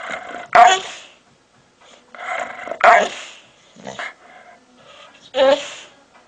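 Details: An aggressive pit bull giving short harsh growling barks in separate bursts about every one to two seconds, with quieter rumbling between them.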